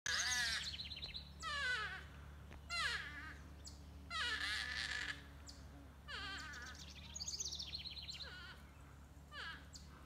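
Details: Two porcupines screaming at each other while fighting in a tree; loud bursts of wavering, harmonic wails and squeals rising and falling, about every one to two seconds, with a steady low hum underneath.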